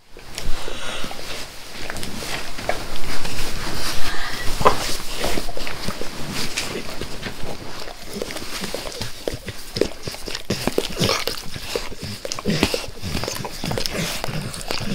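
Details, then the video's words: Max, a pet dog, licking his owner's face with great zeal; wet, smacking licks repeat rapidly and unevenly, roughly one and a half per second, close to the microphone with no talking. "Max Licks | Face Part Tres | ASMR DOG LICKING"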